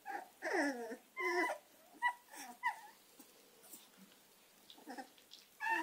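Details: American Staffordshire terrier puppies Gina and Zeus whining indoors: high, wavering whimpers sliding downward, a few loud drawn-out cries in the first two seconds, then shorter, softer whines with quiet gaps.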